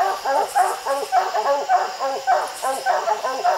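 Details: Hunting dogs barking treed at raccoons up a steep, slick hillside where six coons were seen; rapid, steady chop of overlapping barks, several each second, with faint human voices.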